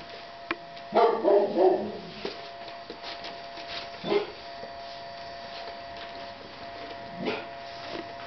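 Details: Seven-week-old Ca de Bou puppies giving a quick run of several yapping barks, then single barks a few seconds apart, over a constant low hum.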